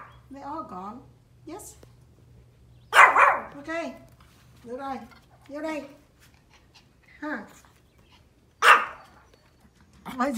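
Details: Pomeranian dog outdoors barking at deer, giving a few loud, abrupt barks spaced several seconds apart while a woman keeps talking calmly to it throughout.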